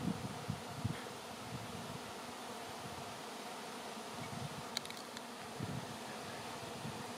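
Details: A swarm of honey bees fills the air before settling on a branch, awaiting relocation to a new hive: a dense, steady, droning hum throughout, with a brief burst of faint high clicks midway.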